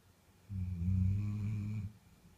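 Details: Sleeping deeply, the Bull Terrier Frakass gives a single drawn-out, low, droning snore of about a second and a half, steady and resonant, set between moments of near silence in a quiet room.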